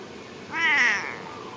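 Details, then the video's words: Mother cat meowing while waiting to be fed; a single clear meow, rising then falling, harmonic and slightly wavering, about half a second long, over quiet background. "Mom cat is waiting for someone feeding food"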